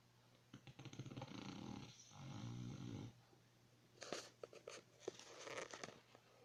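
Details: Dog snoring while asleep, with two rasping, wheezy breaths of about one and a half seconds each, then a run of short clicking and snuffling noises.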